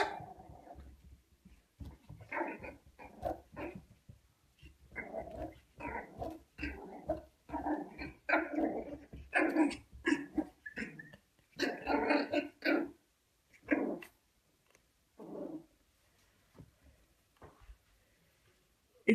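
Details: Siberian Husky puppies giving a busy run of short yips, barks and growly grumbles, packed closely in the middle stretch, then thinning into scattered single yelps with quiet gaps toward the end.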